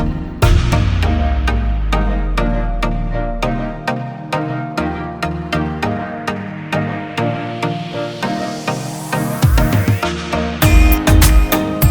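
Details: Electronic dance music with a driving steady beat, deep bass notes and a rising synthesized sweep that builds toward the end; no animal voice is heard.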